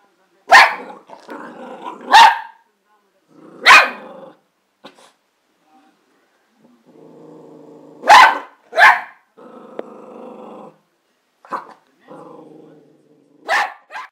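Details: Excited Border Terrier alternates sharp, harsh barks with low rumbling growls, about ten barks over fourteen seconds in irregular bursts, sometimes two barks close together.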